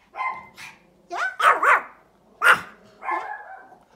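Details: Pomeranian barking outdoors at another dog: about seven sharp, high, yappy barks in quick irregular bursts, some doubled, separated by short pauses, with nothing else clearly heard.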